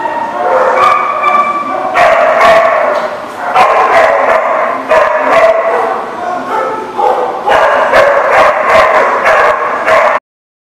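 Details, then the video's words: Dogs at a dog lot, recorded 10/4/19, bark in loud, dense volleys of short harsh barks and yips, grouped in clusters about every two seconds. The clip ends abruptly in silence. "The Barking Lot"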